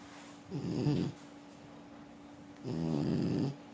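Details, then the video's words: Sleeping French Bulldog Forsik snores twice, each breath a low, rattling, buzzy snore lasting about half a second to a second, with quiet pauses in a small room. "Французский бульдог. Спит и храпит."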